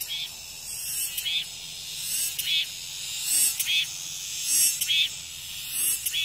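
Cicadas fill the air with a dense, high, hissing drone that swells in pulses about once a second.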